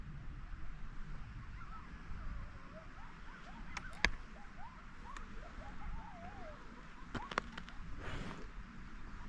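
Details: A distant gray wolf pack, out of sight, howls in chorus in a mountain meadow near tree line, wavering tones rising and falling over steady wind rumble, as sun emerges with thunderstorms nearby.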